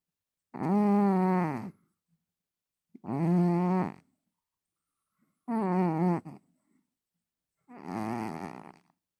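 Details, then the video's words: Pet cat snoring: four drawn-out, droning harmonic snores, each over a second long, come about every two and a half seconds with quiet gaps between; the last sounds rougher and noisier than the others. "мой кот храпит"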